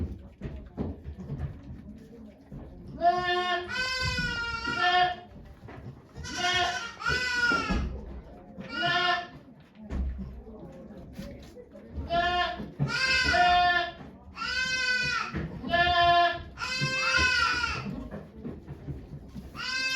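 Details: During her delivery of twin kids at Yoshigake goat farm, Japan, on 3 May 2023, the goat Okayu gives a string of wavering, nasal bleats in clustered bursts, while onlookers talk quietly in the background.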